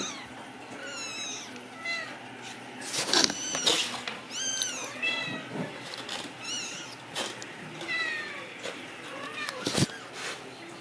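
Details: Several Ragdoll kittens, raised indoors in a home cattery in central Kansas without cages, mewing almost nonstop in high, wavering rising-and-falling cries that overlap one another, with a few sharp clatters and a person speaking briefly.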